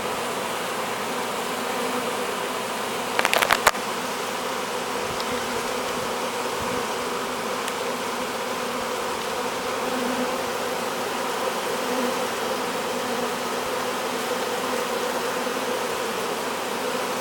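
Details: Swarm of honey bees being hived, crowding into the entrance; continuous thick buzzing hum for the whole stretch, with a brief burst of clattering handling noise early on.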